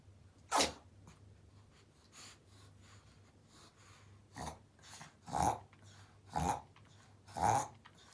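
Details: Pomeranian having a reverse sneezing episode, filmed to show a vet and later treated with inhalation and medicine; sharp snorting gasps repeat roughly once a second in the last four seconds after an earlier loud snort, over a quiet steady hum.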